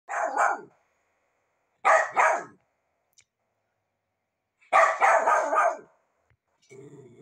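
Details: Rat terrier barking at home, apparently asking for breakfast: three bursts of sharp, mid-pitched barks in quick doubled or tripled runs, separated by silent pauses, ending with a low murmur.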